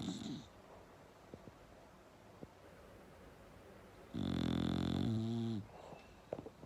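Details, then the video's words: Bulldog snoring loud. A faint snore trails off at the start, then a long quiet stretch with soft clicks, then one strong, deep, vibrating snore lasting over a second that ends with a wavering rumble. "Bulldog Snoring Loud"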